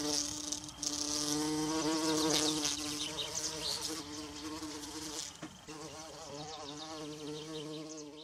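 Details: Wild bumblebee droning among forest violas, its buzz rising and falling in pitch as it moves, with bright high chirps early on and a brief click near five and a half seconds.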